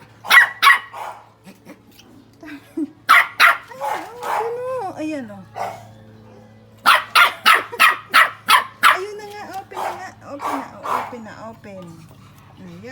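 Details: Shih Tzu puppy barking in quick runs of sharp yaps, separated by stretches where a person talks in Filipino, with a long burst of rapid barks in the second half.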